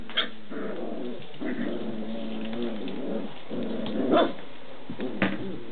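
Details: Standard Schnauzer pups, six weeks old, play-fighting in pairs: a long rumbling growl runs through most of the stretch, broken by a few brief yaps and a squeaky yelp toward the end.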